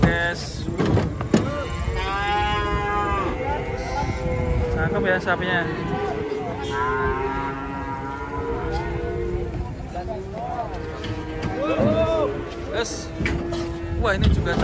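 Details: Giant, fat cattle coming down off a truck during unloading; low, drawn-out moos with rich harmonic layers sound repeatedly over background music, a man talking and engine noise.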